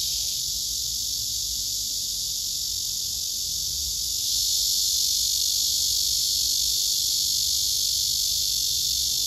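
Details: A male cicada sings his serenade while a female below him backs away. A constant high rasping drone carries through, stepping up slightly louder about four seconds in and then holding steady.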